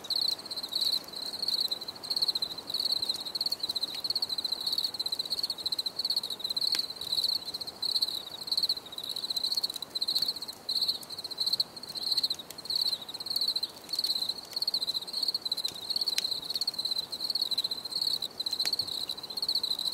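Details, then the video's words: Crickets recorded as a relaxing nature soundscape: a dense, high ringing chirp held near one pitch, pulsing in quick trills almost without pause, with a few sharp clicks over a soft hiss of background noise. "Les grillons || Bruit de Grillons Pour la Relaxation Anti Stress"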